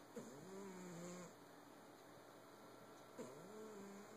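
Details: Domestic cat snoring. Two drawn-out, low, slightly tonal snores come about three seconds apart. Each starts with a short rising onset and then holds a steady hum, over a faint constant background hiss.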